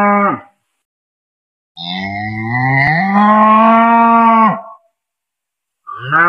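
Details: A cow gives a long, drawn-out moo, rising then holding steady before breaking off.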